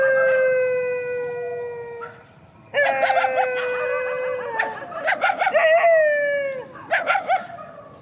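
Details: Rural dogs confronting each other in a field howl in long, level, harmonic-rich tones. After a short silence a new howl begins, then breaks into rapid choppy yips and wavering cries.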